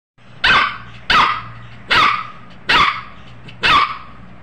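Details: A puppy in Uttar Pradesh, India, near Bareilly and Moradabad, gives five sharp, high barks, roughly one every 0.8 seconds, each a short bright yap with a quick fall, over a quiet low hum.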